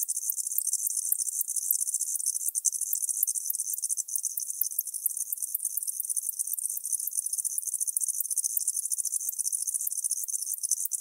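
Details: Tropical house cricket singing at Starnberg, Germany, on 19 November 2021: a dense, high, shimmering trill of rapid pulses held steadily for the whole stretch, with noise removal leaving a clean, silent background.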